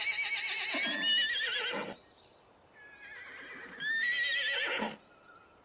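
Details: Plains zebras in the Serengeti at midday, the herd dispersed and resting in the sparse shade of acacias; two bursts of quavering, harmonic whinny-like braying, separated by a short quiet gap with a few thin squeaks.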